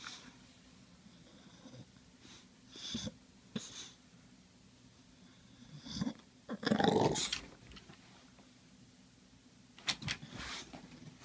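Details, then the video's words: English Bulldog reacting to a spray bottle indoors in a small room: quiet snuffling, a few short hissing bursts, and one louder throaty growling grunt midway. "Spray bottle vs English bulldog"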